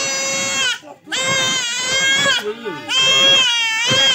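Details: Male goat being castrated cries almost continuously: three harsh, wavering bleats running nearly back to back, with brief gasping breaks between them.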